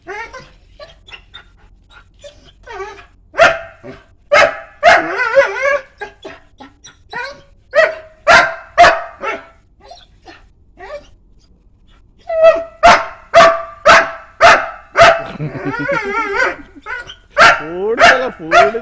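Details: Barking dog, with a fast run of sharp barks about two per second in two bursts separated by a quieter stretch with a few whines.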